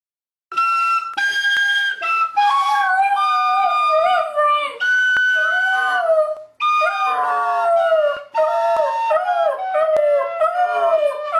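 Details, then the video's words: A Border Terrier howls along to the carol Silent Night: long, wavering, tonal howls that glide up and down in pitch, held for several seconds and broken by brief gaps, with a musical accompaniment in the background. "Border Terrier sings Silent Night"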